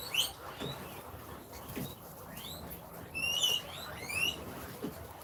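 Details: Guinea pigs give shrill, whistling wheeks, rising and falling squeals, while impatiently awaiting food at dinner time.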